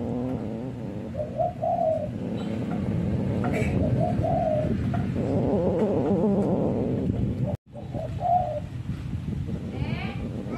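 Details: Orange domestic cat fighting, with repeated low, wavering moans and yowls spread across about ten seconds, one brief break in the sound midway, and a steady low background rumble throughout.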